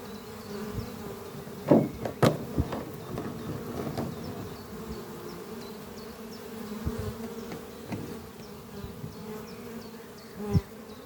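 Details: Honey bees flying in and out of a thriving hive under trees on a spring morning, bringing pollen; a steady low hum with a burst of close knocks and clicks early on and faint repeating high bird chirps throughout.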